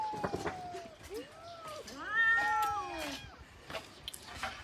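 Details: Hungry cats waiting for food. A couple of short meows are followed by one louder, arched, whining meow, with scattered clicks and a person speaking Khmer nearby.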